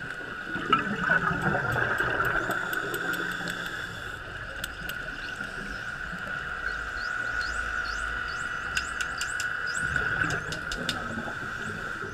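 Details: Several bottlenose dolphins in a friendly underwater encounter at Shag Rock, captured on a GoPro 3 during a dive safari; repeated high, looping whistles build through the second half, with sharp clicks and a constant droning hum beneath.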